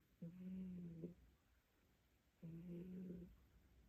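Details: Sleeping cat with its face pressed against its owner's leg, snoring: two drawn-out, low, tonal snores about two seconds apart, each lasting under a second, in a quiet small room.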